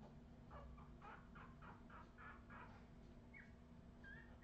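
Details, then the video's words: Redwing Australian Terrier puppies in 2018 give a quick run of short, high squeaking yelps, roughly eight within three seconds, followed by two thin, higher whistled whimpers over a low background hum. "Redwing Australian terrier puppies"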